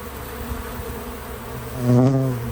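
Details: Bees visiting a feeder, natural sound with no music or narration: a steady low hum with layered harmonics, swelling into a louder, closer buzz near the end as one bee passes the microphone.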